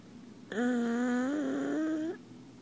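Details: Sleeping pug held in its owner's arms, giving a single drawn-out whistled snore of about 1.6 seconds that slowly rises in pitch, with a faint rasp underneath, in a quiet room.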